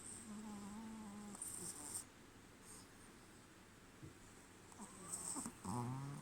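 A Pekingese puppy snores in low, rasping breaths with soft wheezy whistles between them.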